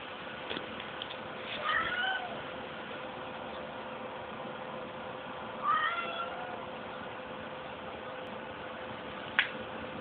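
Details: Snowie the cat gives two drawn-out meows about four seconds apart, each with a bent, slightly rising and falling pitch, over a steady faint hum and a sharp click near the end.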